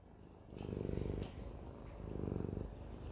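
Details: Siamese cat purring steadily, a low rumbling pulse with two louder swells near one and two and a half seconds, quiet background.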